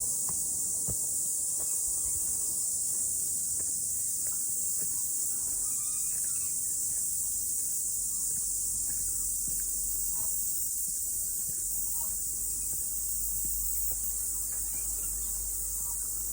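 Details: Cicadas singing after rain on a morning mountain hike: a steady, unbroken high-pitched hiss-like drone fills the air throughout, with scattered soft low thuds and faint clicks beneath.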